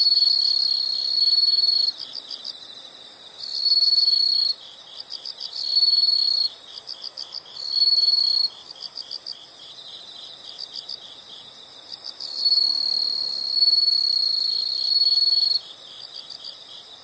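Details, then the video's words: Chorus of insects in a nature sound recording: loud continuous high trills switch on and off in blocks of one to three seconds over a steady background of fainter pulsed chirping. "the sound of insects"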